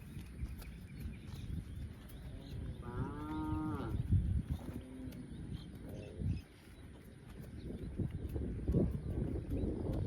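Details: Cow grazing in a field lets out a short moo, followed by a fainter, lower second moo, against dense low background rumble and occasional knocks.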